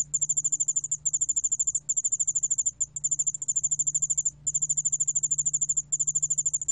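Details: Yeoul-allak-bangul-beolle, a Korean ground cricket, recorded by the National Institute of Biological Resources in 2020: high, rapid pulsed trilling in long bursts broken by brief pauses, over a faint steady low hum.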